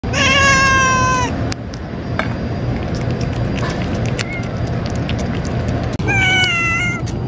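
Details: Female cats in a colony of only females, threatening one another while being fed: a long, steady, tonal yowl, a pause of hissing-free quiet, then a second wavering yowl, over constant low outdoor rumble.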